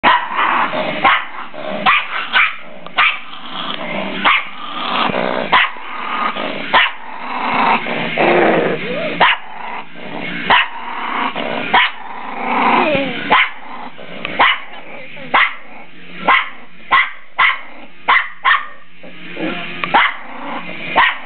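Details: Female dog growling possessively over her owner, a rough, throaty growl rising and falling in long stretches, broken by frequent sharp clicks and bursts, with a person's voice possibly mixed in.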